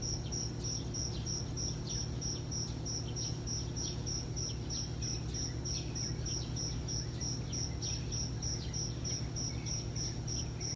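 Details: A cricket calls in the morning with rapid, evenly spaced high-pitched chirps, around three per second, above a continuous low-frequency hum.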